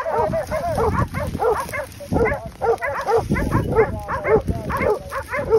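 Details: Hunting dogs in a wild boar drive at Pratomagno, Arezzo, Italy, holding a group of wild boar at bay; dense, overlapping yelping barks from several dogs in rapid bursts, with brief gaps.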